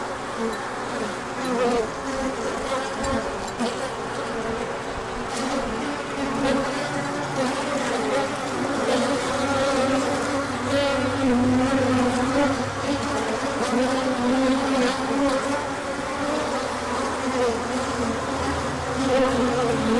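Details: Bees out in large numbers for an orientation flight when the sun returned after cold days, 24 March 2024; constant overlapping buzzing drone with gliding, wavering tones of nearby bees and faint clicks.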